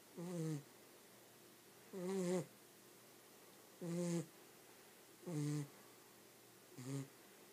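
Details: Sleeping pet dog snoring in a quiet indoor room: five harsh, harmonic snorts, each about half a second long, spaced roughly every one and a half seconds with soft breathing gaps between.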